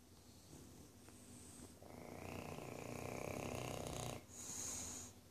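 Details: A tricoloured English bulldog napping in the evening before bedtime snores with a rough, rattling drone that swells and fades with each breath.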